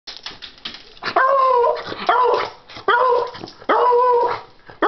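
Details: Pet dog barking for a treat: loud, sharp barks in quick bursts, each with a drawn-out ringing tail, about four strong barks in five seconds with short breaths between, indoors.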